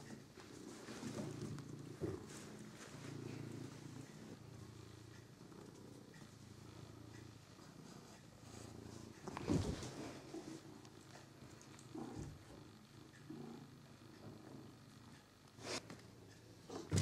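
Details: Figaro the cat playing with a toy mouse, his new favourite toy: a steady low rumbling purr runs throughout, broken by scattered sharp clicks and thumps from the play.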